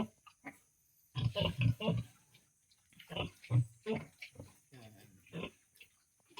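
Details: Domestic sows kept on a farm, just after feeding, about to be moved to a new pen of stacked hollow blocks; a burst of low, rough grunts near the start, with a man talking over most of it.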